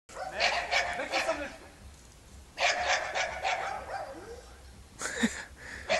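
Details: Serbian defence dog Jana and Dogo Argentino Cezar, with bursts of rapid barking in three clusters separated by quieter gaps, plus a faint background hum.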